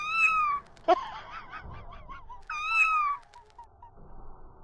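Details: Pet female cat meowing in a back-and-forth conversation with her owner: two clear, slightly falling meows about half a second each, roughly two seconds apart, with faint short chirpy sounds between them in a quiet room.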